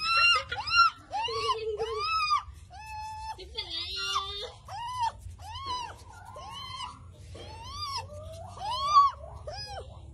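A young siamang gives a run of high, arching squeals and whimpers, each rising then falling.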